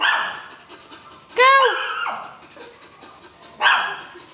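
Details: Belgian Malinois: a quick rising-falling yelp in the middle, with barks before and after, while a person keeps giving spoken commands.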